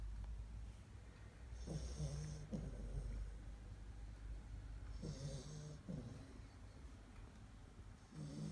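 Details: Sleeping Labrador Retriever puppies from the Kloster Marienthal breeding kennel snore like grown dogs: soft, low, rasping breaths in short bursts of about half a second, arriving in pairs every few seconds over a steady low room hum.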